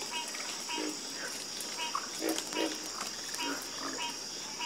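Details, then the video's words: Several frogs croaking together in a calm chorus, low throaty croaks overlapping at irregular intervals, with a continuous shrill insect drone behind them. "Calming Sound Of Harmonious Frog Croaking"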